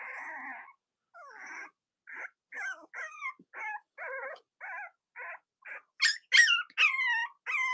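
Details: Cavalier King Charles Spaniel puppies, litters of Robin and Myra, on a chilly late-October Monday morning in the US; a steady series of short whimpering squeaks about twice a second, growing louder and higher near the end.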